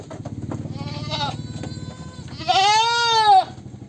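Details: Goat giving a single loud, drawn-out wavering bleat lasting about a second, preceded by a softer short bleat, over a steady low rumbling engine-like hum.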